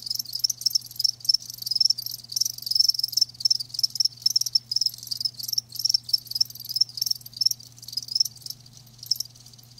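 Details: Shrill chirping from live crickets, short trilled bursts repeated about twice a second with brief pauses, constant and close, with only a soft low hum behind.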